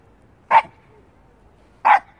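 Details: A young Shiba Inu on a walk barks at a stray cat, giving two short, sharp barks a little over a second apart, while its owner tells it to stop.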